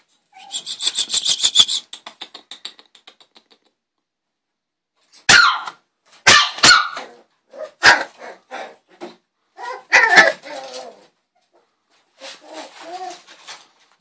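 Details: Male West Highland White Terrier pup, six weeks old, opens with a rapid run of thin, high yips that fade out, then after a pause gives several sharp barks and softer whiny yaps.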